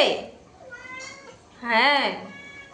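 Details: Hungry domestic cat, said to have a sore throat and unable to cry loudly, gives one drawn-out arching meow that rises then falls, after a brief burst of a woman's voice.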